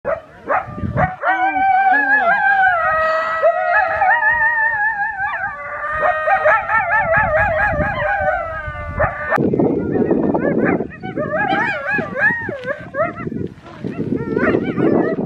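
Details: Coyotes at the Arizona-Sonora Desert Museum howl together on March 13, 2020, long wavering tones breaking into yips and quavering barks.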